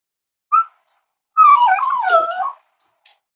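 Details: Cavalier King Charles Spaniel puppies snuggling at home on a warm Friday morning, raised as emotional support animals; a short yip, then a long high whine sliding down and wavering for about a second, with a couple of faint yips after.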